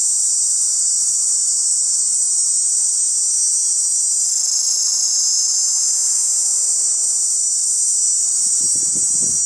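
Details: Chorus of male cicadas producing their tymbal song to draw in females, heard as a continuous piercing high hiss-like drone holding constant throughout, with faint low rustling near the end.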